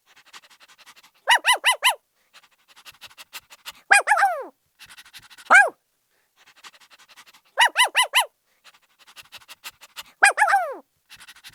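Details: A happy puppy gives bursts of four sharp, high-pitched yips, then a drawn-out yelp falling in pitch and a short single bark, with quiet breathy panting between the outbursts.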